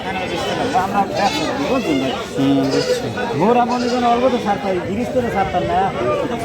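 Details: Goats at a busy goat market held after Eid: a few drawn-out, wavering nasal bleats rise above the steady chatter and bargaining of the crowd.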